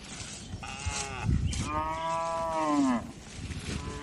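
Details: Tame cattle relaxing in a spacious farm barn, one drawn-out harmonic moo lasting about a second and a half that sags in pitch at its end, preceded by a shorter low call, over soft barn rustling and thuds.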